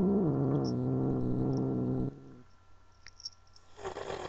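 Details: Pet cat Angel, a female who did not want to be held, lets out a low, rough, rumbling yowl for about two seconds, falling slightly at the start, then quiet with faint rustling.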